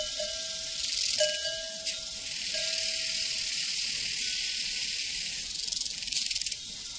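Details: Prairie crickets keep up a shrill, pulsing high-pitched chorus while cowbells clank with ringing tones near the start, a few short bursts of louder trilling rising above the steady buzz.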